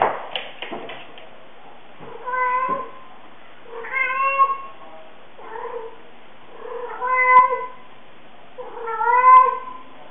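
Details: Young blind cat meowing very loudly while playing indoors, a habit likened to mooing; drawn-out harmonic meows every two seconds or so, five in all, some rising then falling, after a few soft knocks at the start.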